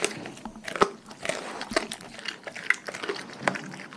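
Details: Raw-fed dogs chewing and crunching: dense, crackly bites and wet chomping come in quick clusters, with a few sharper snaps standing out over steady mastication.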